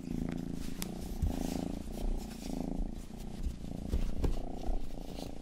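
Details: Rangi, the youngest pet cat, purrs in a low rumbling drone with steady pulsed breaths, alternating inhale and exhale phases; occasional soft clicks of ear licking during an ASMR grooming session indoors.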